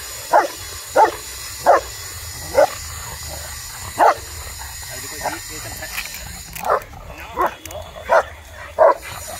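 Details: Rottweiler barking aggressively, with loud, deep single barks repeated about once a second across the stretch, a faint hum behind, and brief talk near the end.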